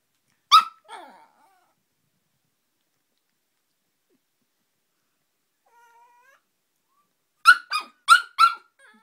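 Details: Dog indoors reacting to Mike Wazowski: one sharp bark followed by a softer yelp, a long silence with a faint whine, then four loud, sharp barks in quick succession.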